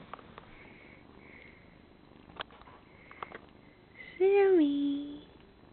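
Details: Indoors, male purebred cat Jackie Chan bathes Sammy, a part-Siamese male kitten; soft licking and sniffing noises precede one loud, drawn-out meow near the end, dipping slightly then holding steady for about a second, with quiet human voices.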